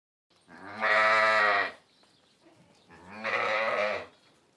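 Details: Sheep (Ovis aries), bleat.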